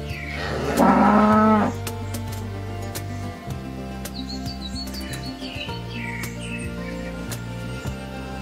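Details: Cow giving one short, loud, low moo near the start, followed by background music with faint chirping bird-like notes.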